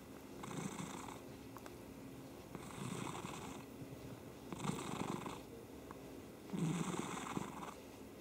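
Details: Domestic cat purring indoors: a steady low rumbling purr that swells roughly every two seconds with each breath, adding a soft breathy hiss at the peak of every cycle, in a quiet room.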